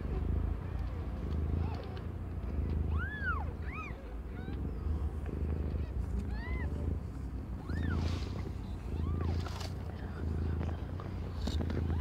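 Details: Domestic cat Aimee, under one year old, giving birth to five kittens of differing colours; short arched, squeaky meows come in scattered ones and pairs around the third, seventh and ninth seconds over a steady low hum and rumbling.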